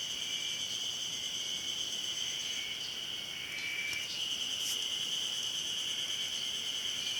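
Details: Ezo-haruzemi cicada chorus recorded at Hayama, Nagai City, on 24 May 2015, an unbroken shrill drone of many overlapping insects, with a brief louder accent near the middle.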